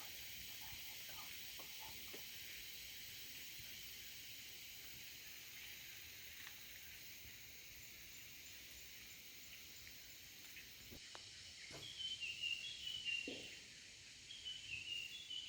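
A cicada gives a loud, steady, shrill hiss that drones on without a break.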